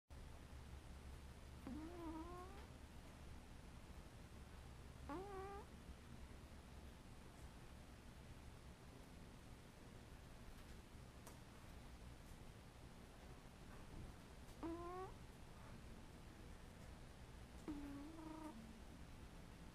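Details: A domestic cat making sleepy noises while asleep: four soft, short murmuring mews, slightly rising and tonal, spaced several seconds apart over a steady low indoor hum.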